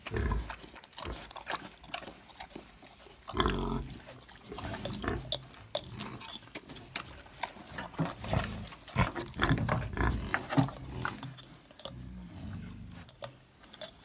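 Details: A wild boar, apparently after beer, gives low, rough grunts and snuffling snorts in irregular bursts.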